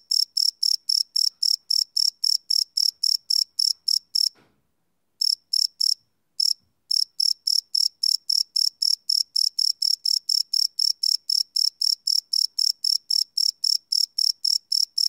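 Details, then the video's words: Crickets calling at night, live field recording on a Sony PCM D100 without loops: rapid high chirps about four per second, with two brief pauses and a faint soft knock in the middle before the rhythm resumes. "Cricket Chirp Sound - Cricket Sounds at Night"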